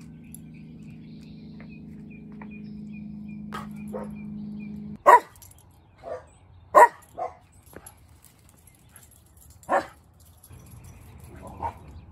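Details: Irish Terrier Dempsey and Kerry Blue Terrier Kelly romping on a patio around 5:30 a.m.; a handful of sharp, separate barks at uneven intervals after a steady low hum that stops midway.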